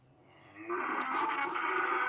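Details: Several cows moo loudly outdoors, one giving a long, drawn-out moo that swells in loudness and holds steady.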